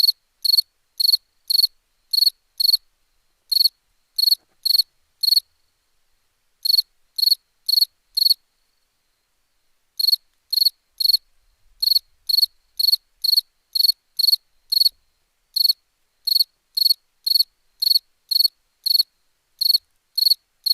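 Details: Night cricket chirping, possibly in India: short pulsed chirps repeated roughly twice a second in irregular runs with brief pauses, clear and dry against a silent background.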